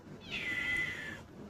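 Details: Pet cat named Chomchom, described as having grown big, gives a single drawn-out meow of just under a second, high and slightly falling at the end, against a quiet room background.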